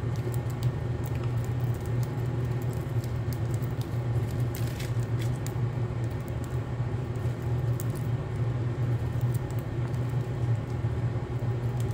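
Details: A constant low engine rumble fills the recording, with faint scattered light ticks and no animal calls.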